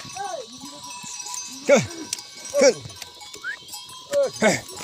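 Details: Himalayan goats with people in the jungle near a goat farm in Uttarakhand, India; loud, short, quavering bleats about every second, softer bleats between them, and a steady background hum.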